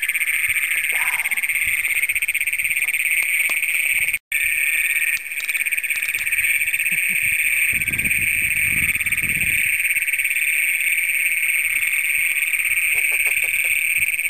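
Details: Great Plains toads, the first documented in Brown County, Minnesota, recorded at night on June 27, 2010 with a Canon PowerShot SX100. A loud, unbroken high trill runs steadily throughout, with a fainter high whine above and a brief dropout near four seconds.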